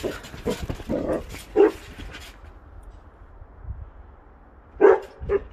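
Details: Basset Hound on a trampoline giving two short, sharp barks about three seconds apart, after a run of softer muffled thumps and bursts at the start.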